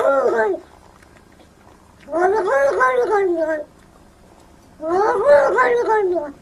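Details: Domestic cat making three drawn-out, wavering meows, each about a second or more long, with quiet pauses between them.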